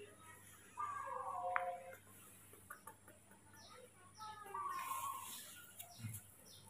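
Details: Baby monkey Mobi, a hand-raised youngster, fussing and acting spoiled on waking in the morning: two drawn-out, whistled whines with a slight wobble, each about a second long, over a steady backdrop of rapid high chirping.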